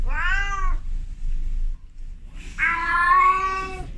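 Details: Female cat in heat meowing toward a male outdoors, one short arched meow followed after a gap by a longer, strained, wavering meow, with a steady low hum beneath.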